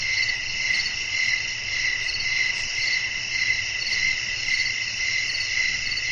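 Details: Crickets at night, wind in the background, making a constant high shrill trill. Brighter chirps stand out at a fairly regular pace of just under two per second.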